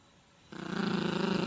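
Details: Playful Yorkshire Terrier puppy tugging at a dog toy with its owner, giving a sudden rough growl that starts half a second in and continues as fast, even low pulses until the end.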